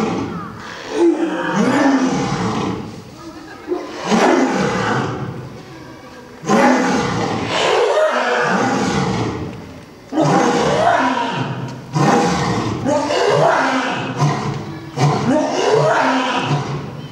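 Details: Male and female lions, a pair at a zoo, roaring back and forth in dense overlapping bouts, loud rough calls repeating every two seconds or so with little pause between them.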